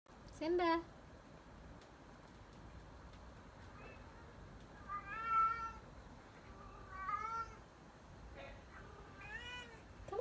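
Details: Stray cat coming to visit, giving a series of short meows, some rising then falling, spaced a second or two apart over a steady background hiss while a person calls it over.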